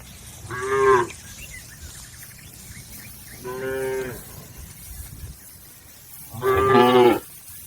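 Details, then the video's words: Cattle in a herd crossing a river on the way to the pen give three long, mournful moos spaced about three seconds apart, each steady and droning, against a quiet outdoor backdrop. "Bunyi sapi"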